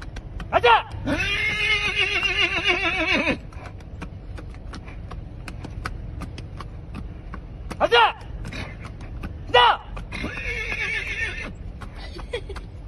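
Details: Horse neighing on request from its owner, who keeps asking it to neigh: a long, shaky whinny, then a second whinny later on, with short sharp sounds between and people talking around it.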